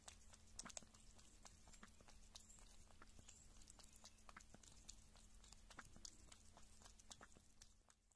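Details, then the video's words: Female pet kitten, filmed at one or six months old, eating meat or drinking milk: dense, irregular sharp clicks and crunchy chewing sounds throughout, with a steady low electrical hum. "Small Kitty Sounds Kitten Eating Meat & Drinking Milk"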